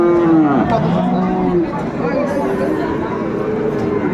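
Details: Bull calf of Friesian or cross breed at Dinajpur's Raniganj market on 28 November 2024 lets out a loud drawn-out moo that bends downward, followed by a lower second call, with market voices behind.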